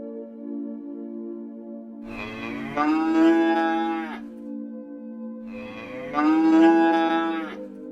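A cow gives two long, drawn-out moos over a steady droning musical background.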